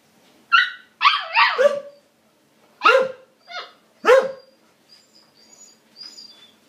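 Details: A female Siberian Husky puppy, trying to get a border collie to be friends and play, 'talks' in bursts of yelping, downward-sliding whines and yodels.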